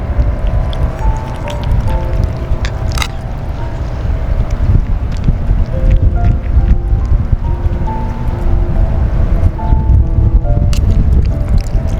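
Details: Strong gusting wind roars into the microphone under steady background music, with no animal voice standing out.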